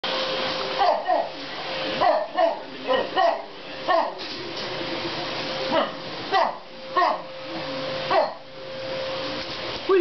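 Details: A Wire Fox Terrier, barking for the first time, gives short, repeated, not high-pitched bursts at a running vacuum cleaner over its steady hum.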